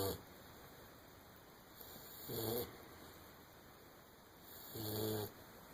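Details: English springer spaniel puppy snoring while asleep: two low, rumbling harmonic snores, each under a second long, about two and a half seconds apart, over a steady high electronic whine.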